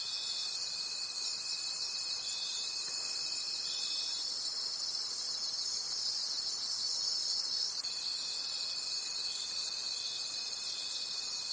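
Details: Night-time forest crickets: a continuous high trilling chorus with rhythmic swells of loudness and a faint steady tone that drops out for a few seconds midway, then returns.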